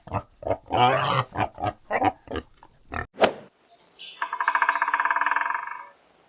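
Wild boar giving a quick run of about eight short, rough grunts, then a sharp click and a longer, buzzy, pulsing squeal.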